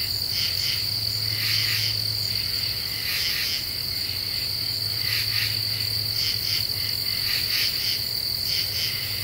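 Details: Common true katydid singing at night in an Eastern U.S. deciduous forest, Ozarks, July 2013, after cicadas have stopped: raspy pulses in clusters of two or three, repeated irregularly over a steady high insect drone and a low hum.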